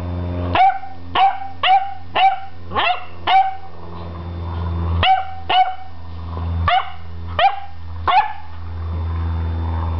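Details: Eleven-week-old beagle puppy barking at a broom: a run of about a dozen short, sharp barks, several quick ones in a row then more spaced out, with a constant low hum underneath.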